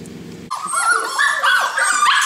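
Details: Several Golden Retriever puppies playing at a breeding kennel. They give overlapping high whimpers and yips, wavering and sliding up and down in pitch in quick succession. A short low murmur comes just before them.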